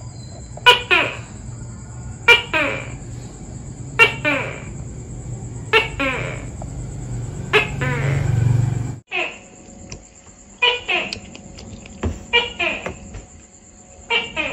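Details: Tokay gecko (Gekko gecko), a tree-dwelling Asian species active at dawn and dusk, calling in two-part notes: a sharp click-like onset, then a longer croaking syllable that falls in pitch. The pairs repeat about every 1.7 seconds over a low hum and steady background hiss.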